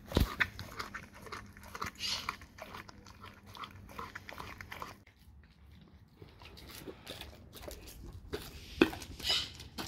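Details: Dog eating raw cow tongue: wet, irregular smacking and crunching bites, clustered in the first half, then a quieter pause before a few sharper snaps near the end.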